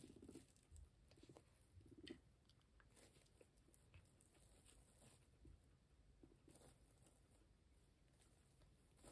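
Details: Max, a pet sheltie guinea pig, munching on grass: quiet, dense crunchy chewing ticks throughout, a few soft squeaky blips early on, in a small indoor room.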